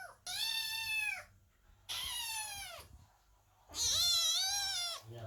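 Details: Kittens meowing loudly under a closed door while their mother cat gives birth, worried and waiting; three long, high, strained meows about a second each, separated by short pauses, indoors.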